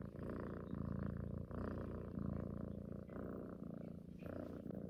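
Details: Affectionate female cat purring while cuddling and seeking love, a low vibrating rumble in rhythmic breath cycles, with a slightly louder inhale phase near the end.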